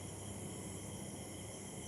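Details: Crickets after evening rainfall in Chakdah, heard as an even, ringing high trill at several pitches, continuous for the whole moment, with low background drone.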